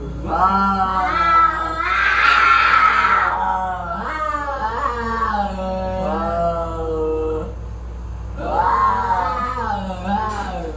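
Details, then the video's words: Fighting cats trade long, wavering howls for about ten seconds, broken by a harsh screaming burst early on and another surge of yowling near the end. "Cat Fight with horrible sound"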